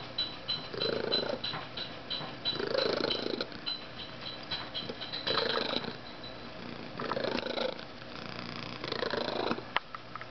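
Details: Rhythmic purring from a male domestic cat, said to be capable of far louder purrs: grainy vibrating pulses surging in repeated breaths, five or so swells across the stretch, with light rustling between.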